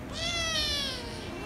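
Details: Rescue kitten and ginger kitten, pets indoors, angry at first then kissing and licking; one long drawn-out meow, high and harmonic-rich, gently falling in pitch over about a second, low background hum.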